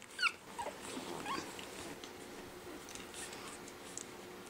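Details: Five-week-old Pekingese puppies playing in their pen after breakfast: a sharp, high harmonic yelp near the start, then a falling squeak and a short rising whimper, followed by quieter rustling and faint thuds in a small indoor room.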